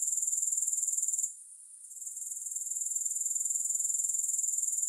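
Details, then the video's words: Grasshopper sounds without music: a dense, high, evenly pulsing buzz that cuts out for about half a second, then gradually returns to its earlier strength. "Grass Hopper Sounds"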